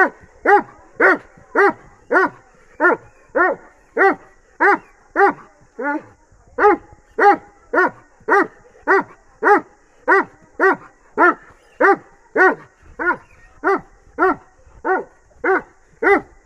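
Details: Long bout of barking from a Bully crossed with Dogo Argentino: close to thirty ringing, harmonic barks roughly every half second, one short pause midway, then the same rapid rhythm resumes.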